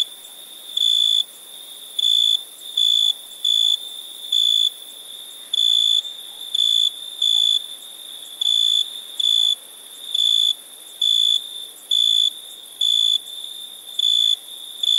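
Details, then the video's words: Night-time cricket chorus of short, even, high-pitched trilled bursts, each about a third of a second long, coming irregularly every half to one second over a soft steady background hum of insects. "Relaxing Chirping Crickets"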